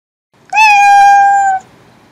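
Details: Cat giving one loud, steady, drawn-out meow lasting about a second, even in pitch and ending abruptly, in a quiet setting.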